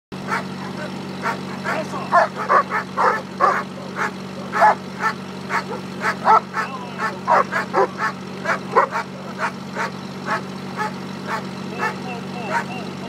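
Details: German Shepherd during Schutzhund bite work at Temecula Valley Schutzhund in California, giving a series of sharp barks in uneven bursts over a steady low mechanical hum, with quieter stretches near the end.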